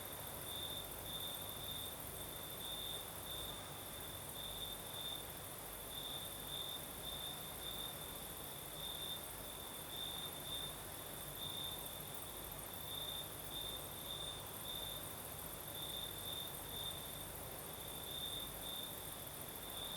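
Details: Crimean crickets chorusing in the southern night as a breeze blows: a sustained high-pitched chirping trill that pulses unevenly across the whole stretch, backed by an even wash of wind-like noise and a thin higher buzz.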